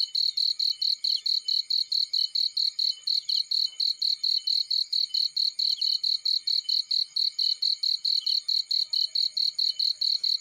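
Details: A cricket calling in a field, its piercing chirps beating in a quick regular pulse throughout, with a few faint chirpy notes layered above.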